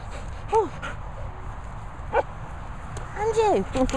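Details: Dog whining at a licensed training and boarding kennel set in Worcestershire countryside, where two Labradors and a Cocker Spaniel are kept; three short, arched whine-yelps rise and fall near the start, middle and end over a steady background hiss.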